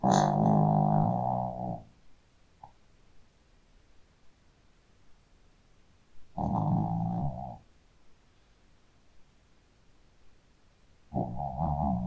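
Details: Pet Shih Tzu asleep and snoring, three long, loud, droning snores of roughly one to two seconds each, coming about every five seconds with near silence between them.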